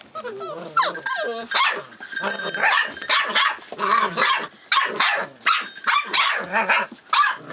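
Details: Rough Collie puppy aged 44 days, recorded 25 February 2012 and alert to its surroundings; rising whines open the clip, then rapid shrill yips and barks tumble over one another.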